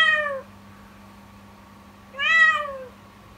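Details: Kitten Yukimi crying continuously since morning with a scary, mournful voice; two loud meows, the first clipped short and falling, the second longer and rising before sliding down, over a faint steady hum indoors.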